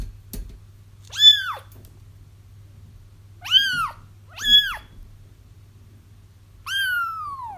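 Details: Kittens crying, played to help trap a feral mother cat whose kittens were already found: four high, descending meows with rich harmonics, spaced unevenly over several seconds, over a steady low hum.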